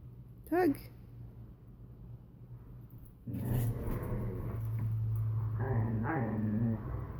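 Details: Borzoi and Collie puppy playing tug: one short rising whine early, then a stretch of low rumbling growls turning into a wavering, whiny growl near the end, over a steady low hum.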